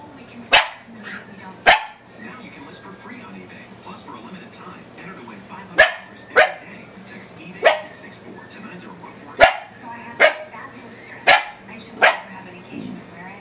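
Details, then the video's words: Faith, a puppy, barking at her own reflection in a laptop screen indoors: sharp, broadband barks in irregular bursts, often in pairs, about eight across the stretch, over a low murmur of television or background voices. "faith barking at her reflection off the laptop!"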